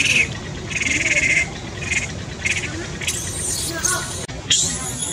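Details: Baby monkey crying loudly, described as having seizures and needing help: shrill high wails in repeated bursts, then harsher broadband screeching toward the end.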